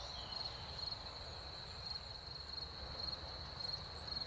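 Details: Crickets sing in spring after rain, a steady, high, ringing trill with faint pulsing over a low background rumble.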